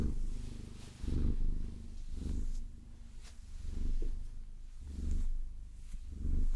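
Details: Close, loud purring from a domestic Maine Coon, Vasilisa, enjoying a massage with long nails; rich low rumble pulsing with inhalations and exhalations roughly every second, indoors and quiet apart from faint nail sounds.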